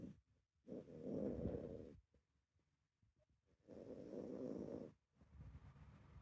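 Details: Miniature Dachshund named Meme, asleep, a dog that seldom snores, giving a rare sleeping sound: two long raspy snoring inhalations, each over a second, with softer breathy exhales between them in a quiet room.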